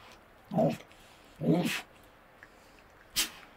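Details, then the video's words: Wild Tasmanian devils in the Tasmanian bush squabbling over food at night; two brief throaty growls about a second apart, then a sharp snort-like burst, over quiet background. "Tasmanian Devil Sounds - Growls & snarling calls from wild devils in the Tasmanian bush"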